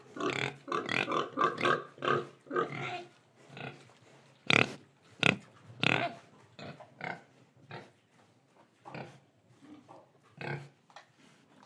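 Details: Indonesian pig grunting rapidly, a burst of closely packed oinks at first, then sharper separated grunts and softer snuffling calls trailing off toward the end.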